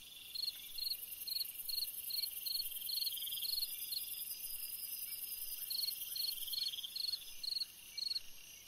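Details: Cricket song on a summer night: short high chirps repeated roughly every half second, crisp and pulsed, over a steady shrill insect drone from other callers in the background.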